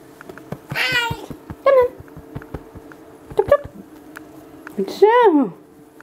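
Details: Domestic cat during a cuddle, giving several short meows, one long wavering meow near the end sliding down in pitch, with soft clicks, a steady background hum and a person's voice.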